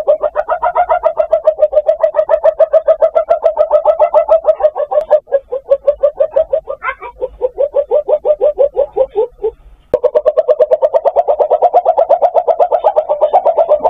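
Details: A palm civet's mating call, a fast run of throaty, pulsing clucks repeated in long bursts.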